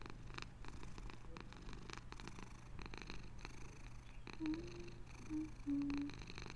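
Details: Close purring of a house cat, low and throaty with pulsing breath cycles; a few short faint tonal squeaks appear near the end over a steady background hum.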